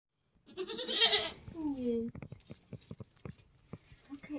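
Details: Nigerian Dwarf goat doe in labour on a homestead during kidding season, giving one loud, harsh, strained bleat rich in harmonics, followed by a short falling tone, soft clicks and rustling.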